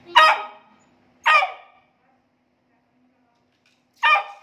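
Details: A Beagle puppy gives three sharp, high barks spaced irregularly over a few seconds; the owner calls its barking very annoying at times.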